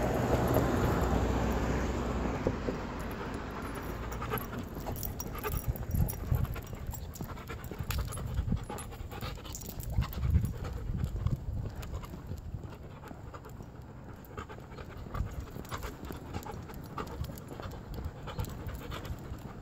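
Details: Male Rottweiler panting rapidly while walking on a leash around the block, breaths coming about three per second in a steady rough rhythm, with footsteps and outdoor rustle behind.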